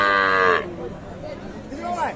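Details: Local deshi cow at the Ambari cattle market in Parbatipur, Dinajpur, Bangladesh, among cows sold with calves, recorded on Friday 15 December 2023; a loud, harmonic moo lasts about half a second, then market voices and chatter continue.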